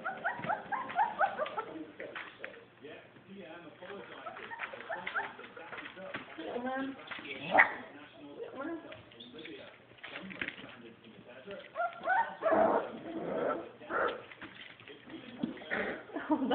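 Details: Puppies aged three weeks and six days whine in overlapping high, wavering cries, with short yips breaking through and a person talking over them.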